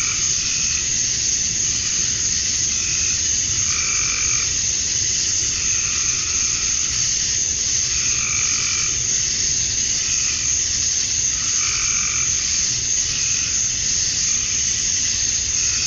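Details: A summer-dusk chorus of male cicadas calling for females in Georgia, USA: an unbroken shrill buzz throughout, overlaid by lower, harsh pulsed calls repeating roughly every second or two.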